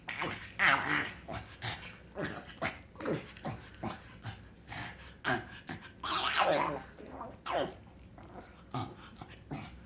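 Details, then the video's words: Happy pet pug named Frank giving odd excited sounds: whiny squeaks and nasal grunts in quick uneven bursts, some sliding upward, repeated over about ten seconds. "Frank the Pug makes strange sounds when hes happy!"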